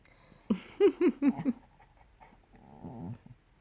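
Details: A male cocker spaniel gives a quick run of short, rising-and-falling croaky whines likened to The Grudge sound, then a breathy yawn.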